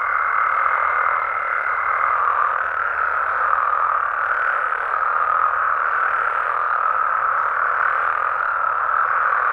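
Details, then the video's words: Nighttime chorus of Mexican frogs and toads, an unbroken mass of overlapping croaks at middle pitch. A faint high steady tone sounds for the first two seconds, then the chorus carries on alone. "Mexican Frogs & Toads Sounds"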